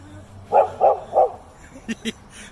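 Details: A slightly timid Golden Retriever on a walk in a park in Toda City, the day before surgery; three short, evenly spaced barks, then two fainter, sharper clicks.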